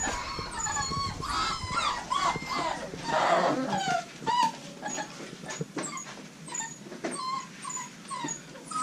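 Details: American Bully puppies from a Royal Kennels litter of five females and one male, sired by Diesel aka The Big Mac out of Mia, whining together in a chorus of short, high, wavering whimpers that overlap continuously, with faint human speech.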